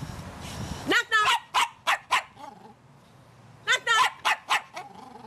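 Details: Female terrier giving a run of short, sharp, high yapping barks, about five in quick succession, then a pause and another burst of four or five, on cue during a knock-knock joke; a woman's voice speaks at the start.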